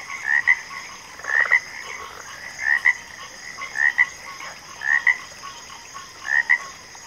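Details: Frogs calling in a backwater. Short paired croaks repeat about once a second, six bursts in seven seconds, over a steady high hum.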